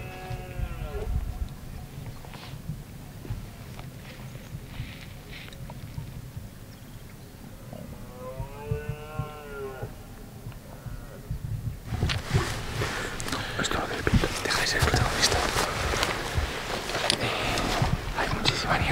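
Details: Distant red deer stags give deep, moaning rutting roars from below a fog-covered hillside in the Valle de Trubia reserve, Asturias, during the rut, with loud rustling and wind noise later on.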